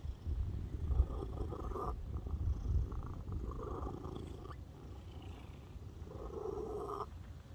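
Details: Cat purring close up, a dense low-pitched vibrating drone that rises and falls in rhythmic swells, the louder phases adding a brighter, fuller tone.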